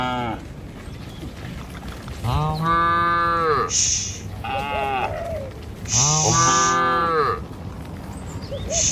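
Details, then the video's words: Dozens of tame cattle cross a river bridge on the morning trek to their feeding fields. Three drawn-out, bending moos sound several seconds apart, one short, with scuffing hoof and walking noise between calls. "Gembala Puluhan Ternak Sapi Melintasi jembatan Sungai, Suara Moou Sepanjang Jalan Menuju Desa"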